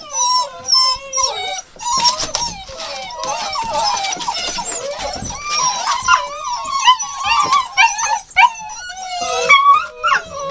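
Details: A litter of hound puppies, Rosebud's, dated 02/08/12, keeps up a long chorus of shrill whimpers and drawn-out, howl-like wails, many pups crying at once with wavering pitch and brief lulls.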